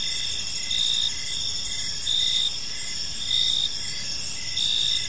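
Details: High, ringing cricket chorus at dusk in a park, short repeated chirps pulsing steadily while stronger bursts rise roughly once a second over faint low noise.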